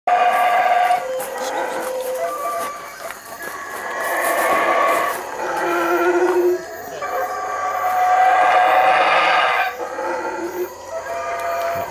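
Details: Howler monkeys calling loudly: long, rough, droning roars that swell and fade in overlapping waves, with layered harmonic tones and a few higher tonal notes running through the chorus.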